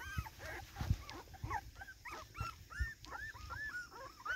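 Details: Playing in the garden on its first outing, 13 September 2024, a Cardigan Welsh Corgi gives high, bending whines and short yips in quick succession, broken by low thuds and knocks.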